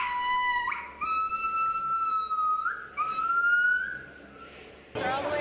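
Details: Gibbon voice in long, clear, musical notes held steady with a slight upward lift at each step, three phrases in a row, ending in a burst of broadband noise.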